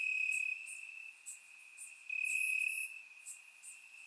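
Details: Summer-night crickets in Bulgarian grassland: an even, piercing trill at one pitch, loud at first, quieter in the middle, then strong again, with sparse higher chirps from other insects around it.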